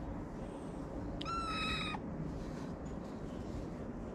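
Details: Homeless street kitten in Morocco, fed daily by a caretaker and climbing onto the feeder's lap, gives a single clear, steady, high meow lasting under a second over a constant low background hum.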